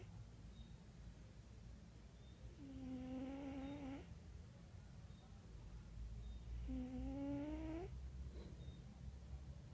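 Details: Sleeping cat named Wera snoring: two clear, reedy, slightly rising snores roughly four seconds apart, each lasting about a second, with a soft breathy exhale after each and a low constant hum indoors.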